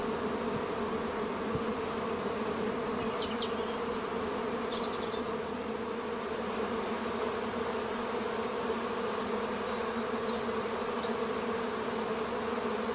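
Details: A close, loud honey bee swarm from a garden hive in May gives an intense, even roar of buzzing wings, thick and unchanging throughout, with a couple of faint bird calls in the background.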